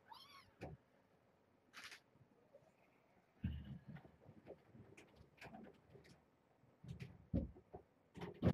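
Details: Kittens of the stray cat Janine, rescued to Purrfect Pals from an overcrowded shelter, during a morning check indoors; faint, high, thin mews come in brief bursts among soft rustling and knocking from the room and door.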